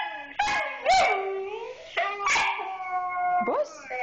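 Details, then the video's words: Siberian Husky named Ishka howling in reply to its owner saying "I love you": drawn-out, wavering harmonic howls with rising and falling pitch, broken by short sharp yelps around one, two and three and a half seconds, a woman's voice mixed in. "SIBERIAN HUSKY HOWLING AND HEARING "I LOVE YOU""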